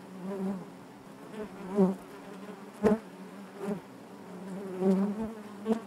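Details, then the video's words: Inside a honey bee hive, a continuous low buzzing hum with rich harmonics, punctuated by brief louder swells and sharp clicks as bees move near the recorder. "bees therapy hive natural buzzing sound"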